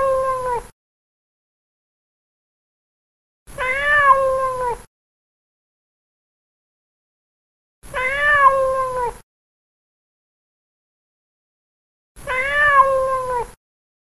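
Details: A fat cat at play gives long, drawn-out meows, each about a second long, spaced roughly four seconds apart, with clear harmonics and silence between.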